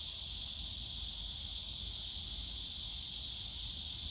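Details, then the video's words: Cicadas in Yongsan Family Park's bamboo forest on a summer day make a steady, intense high buzz like hissing static, constant throughout, over distant low-pitched park noise. "용산가족공원 대나무숲 매미소리"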